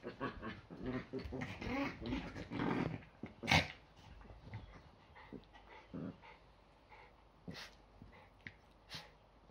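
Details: Yorkies wrestling in their usual morning fight before breakfast on a Sunday; throaty growls fill the first three seconds, then a sharp yip and scattered clicks and scuffles as the play quiets.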